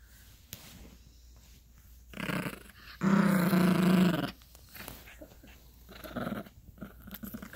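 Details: Gracie, a Yorkshire Terrier puppy, growls while play-fighting over a dog toy on a bed indoors. A short low rumble comes first, then a steady, rough growl lasting about a second, with soft rustling and handling noise around it.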